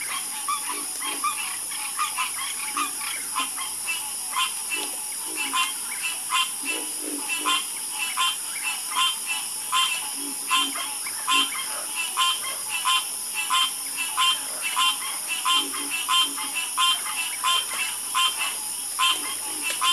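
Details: Calming night chorus of frogs: dense, irregular croaks from many animals pile up and overlap, some louder bursts standing out, against a constant high buzzing backdrop.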